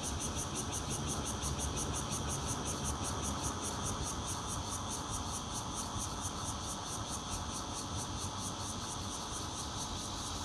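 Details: Bear cicadas recorded on 16 June 2013 from a fourth-floor home in Zhongli, Taiwan, with a Nokia Lumia 820, red-veined and intermittent singers together: dense steady hiss with rapid pulsing high buzz, over a broad low rumble like traffic.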